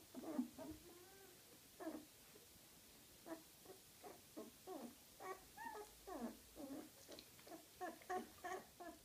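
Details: Gryzia's little puppies whimper and whine in a steady series, short harmonic cries repeated roughly every half second to second, some wavering or dipping in pitch, with soft shuffling between calls.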